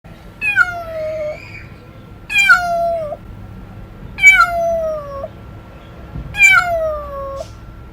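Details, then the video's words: Domestic cat meowing oddly: four drawn-out, falling meows roughly every two seconds, each dropping and levelling off into a long low tail, with a steady electrical hum and low room rumble beneath. "Pisici care miauna ciudat (cat sound)"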